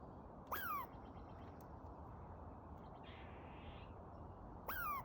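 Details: A squirrel, after a dog barked at it while it ate a pine cone, ran up a tree and gave two sharp calls, each a harsh burst sliding down into a squeaky whine.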